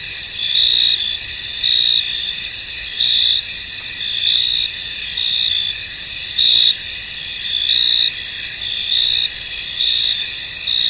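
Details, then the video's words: Many crickets chirping in a misty field: a bright, unbroken high trill overlaid with regular louder chirp bursts about once per second, plus a few faint clicks. "Tranquil Cricket Sounds In An Misty Field"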